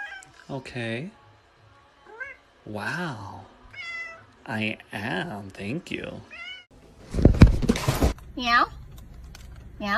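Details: Kittens giving several short, rising-and-falling meows between human voices, with a burst of rustling noise and one last drawn-out meow near the end.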